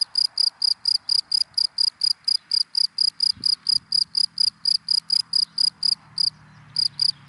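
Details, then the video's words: Cricket calling from dry grass by day, a fast train of bright, evenly spaced chirps with a short gap near the end and a soft thud in the background. "Sound of Cricket in Dry Grass in the Daytime"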